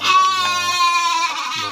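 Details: Breeding-stock sheep kept in a pen at Tanjungjaya village, Tanjung, Cipunagara district, Subang regency; a single loud, richly harmonic, slightly wavering bleat lasting nearly two seconds, with a faint low hum underneath.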